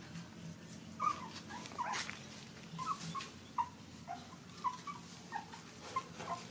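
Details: Puppies standing up while suckling from their mother; thin, high-pitched squeaks and whimpers repeat roughly every half second to second, each brief and slightly wavering, against a low background hum.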